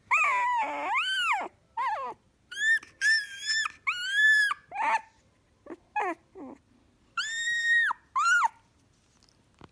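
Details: Shiba Inu dog giving an almost continuous run of loud, warbling whine-cries, some wavering, others long and arched. The notes come irregularly, roughly every second or two, in a small indoor room.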